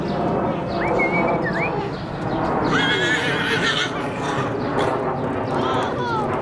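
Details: Horse at Greenfield Village in Detroit, Michigan, running around excitedly in its enclosure; several high, rising whinnies and squeals over steady background noise, with hoofbeats.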